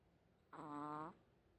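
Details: Sleeping Chihuahua that habitually snores like a pig; a single nasal snore about half a second long with a buzzy, evenly pitched tone and strong stacked overtones, in a quiet room.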